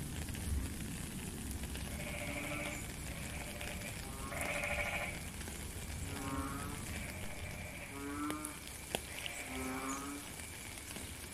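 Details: Frog calling in rain, recorded live in nature: a run of about eight short, nasal, bleating notes spread over ten seconds with uneven gaps, beneath steady rain hiss and occasional drip clicks.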